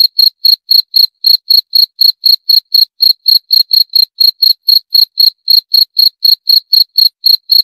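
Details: Long unbroken train of cricket chirps, brisk and metronomic at around four per second, each pulse high and ringing; quiet background throughout.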